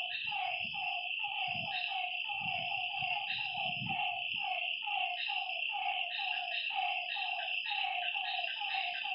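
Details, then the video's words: Frogs calling at night by a lake: short mid-pitched notes repeated quickly and overlapping in a steady chorus, over a constant high insect drone, with soft low thumps in the first half. "Lakeside night creatures and frog sounds"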